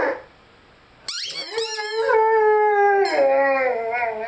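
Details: Lyle, a Rhodesian Ridgeback, howls with his favorite squeaky toy: a brief quiet start, then a sudden high squeak followed by a long steady howl that drops slightly and wavers near the end.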